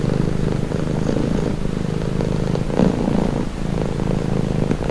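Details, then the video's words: Pet cat purring, a soft throaty rumble held evenly for nearly five seconds with faint breath changes. "Purring cat"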